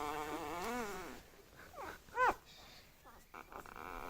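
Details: Dreaming bulldog puppies, six days old, give a drawn-out quavering whine, then a quick upward squeak and a faint wavering cry at the end, over quiet background rustle.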